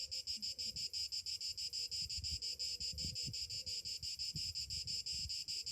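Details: Cicadas on a summer morning: a loud, high buzzing drone pulsing about three times a second, with soft low cooing from a dove faintly underneath.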